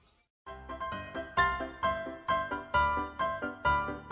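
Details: Upbeat music with a steady, bouncing beat and plucked chords after a brief silence, no animal voice standing out.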